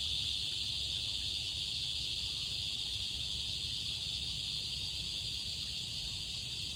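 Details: In summer, cicadas sing in chorus, a steady, high, buzzing drone that never pauses.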